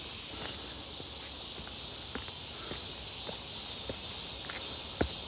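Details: On a bright, hot midsummer day, 1 August 2023, many cicadas buzz near Seonbawi; their high, even droning wall of sound runs throughout while footsteps crunch steadily and one sharper step lands near the end.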